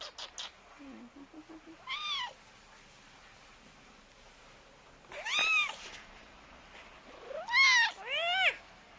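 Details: Pet cat calling to its owner as it seeks company while having its head scrubbed; four separate arched, rising-falling meows spread over several seconds, with a woman's soft speech in between.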